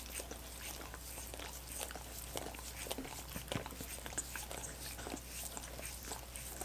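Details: Dogs licking frozen coconut water popsicles indoors. Rapid wet, smacking licks and soft crunchy clicks come in quick irregular bursts over a low steady hum, with no talking.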